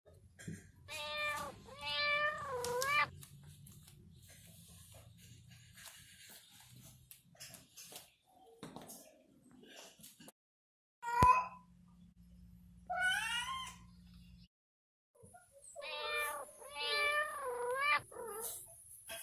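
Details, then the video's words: Domestic cat at play giving wavering, drawn-out meows in short bursts: a pair near the start, a sharp click mid-way, then a rising cry and a further run of quavering meows toward the end, with quiet gaps between. "Som de gato - Gato brincando - Gato miando"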